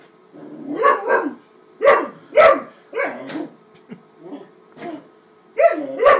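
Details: Wallace, a 13-week-old Great Dane puppy, barks at a paper bag he is upset by and attacking indoors; a series of loud, gruff puppy barks in irregular bursts, with pauses between, and a person's voice nearby.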